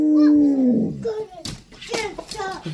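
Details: Alaskan Malamute howling indoors to greet a wolf dog named Woo; a single falling, smooth howl sliding downward over about one second, followed by a person speaking and household noises.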